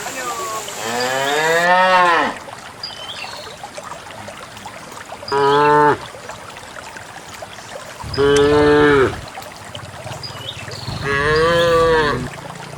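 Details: Herded cows running along a countryside path into the farm pen give four separate moos, spaced roughly three seconds apart, some long and wavering, others short, over a hushed rural background.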